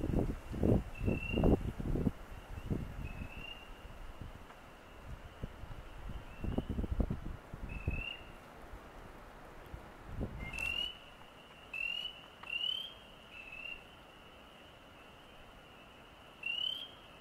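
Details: Frogs on the Osgoode Link Pathway give short, high, slightly rising peeping notes, repeated every second or two.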